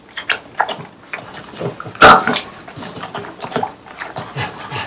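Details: Watermelon being eaten by three French Bulldogs on a hot day: soft wet chewing and smacking, broken by one sharp, loud crunching bite near the middle, then more quiet juicy munching.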